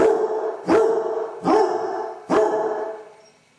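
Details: Four short, resonant barks from a lone Basset Hound suffering separation anxiety at home, each rising slightly then holding, spaced under a second apart.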